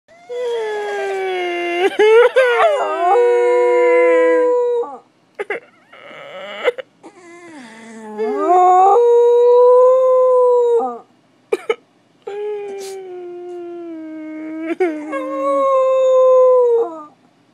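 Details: Spike, a pet dog recorded as a puppy, howling indoors: long drawn-out tonal howls with rich harmonics, steady then sliding, broken by short gaps and a few sharp yips, repeated in three main bouts.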